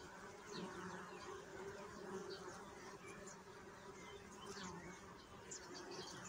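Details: Bees humming in a steady low drone with a fuller overtone above it, continuous throughout, while faint bird chirps and twitters sound higher up in the background.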